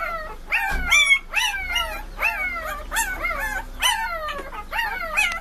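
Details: A group of puppies howls in a dense chorus. Quick downward-sliding whines overlap, roughly two per second, with shrill peaks and no other clear sounds.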